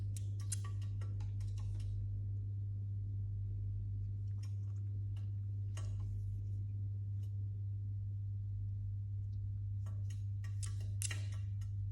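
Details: A steady low hum runs throughout, with scattered sharp clicks and ticking bursts and no clear animal voice.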